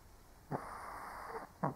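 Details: Sleeping elderly Shih Tzu: a short snort opens into a long, even, raspy exhale lasting about a second, then another quick snort closes the breath, in a quiet indoor hush.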